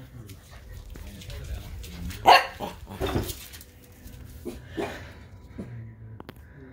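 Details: An 11-week-old female Pembroke Welsh Corgi puppy playing under furniture gives a few short, sharp yaps, with soft human speech behind.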